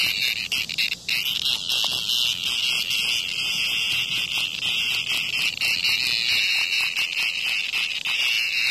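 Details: Under a hornet's attack near a house, a cicada keeps up a piercing, continuous electric-sounding buzz, wavering slightly in pitch, with a short dip near the start.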